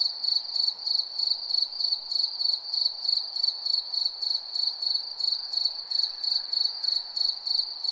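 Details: Steady nighttime cricket chirping, a bright sustained high tone broken into quick regular pulses, around three per second, with nothing else audible.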